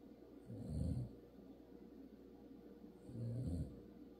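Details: Two loud, throaty snores from a male dog dozing in a car seat, spaced about two and a half seconds apart, low and gravelly with a faint whistling breath above.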